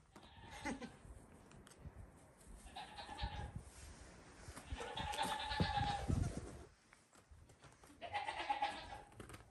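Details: Playful goat kids a few days old on a farm at bedtime; three wavering bleats spaced a few seconds apart over low thumping and rustling of hooves and straw.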